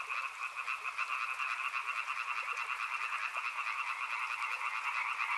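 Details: Many frogs calling together near a river, an unbroken buzzing trill of overlapping pulsed croaks, loud and even, with individual notes pulsing about twice a second.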